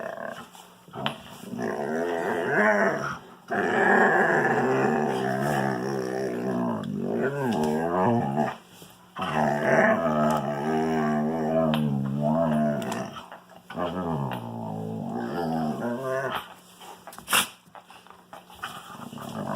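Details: Wolfdog playing indoors with a Kangal puppy, making strange growling, moaning vocal noises: long harmonic bursts that wobble and bend up and down in pitch, broken by short pauses, with a few sharp yips and scuffles in a small room.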